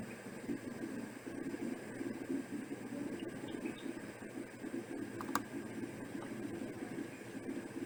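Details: Steady low hiss and fan-like noise with one brief click, and no animal sound.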